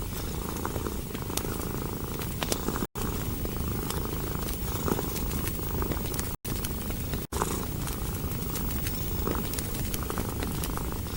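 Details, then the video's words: Cat resting curled beside crackling logs, its purr a soft, even low rumble under scattered fire pops, interrupted by three short moments of silence. "Purring of a Cat & Fireplace"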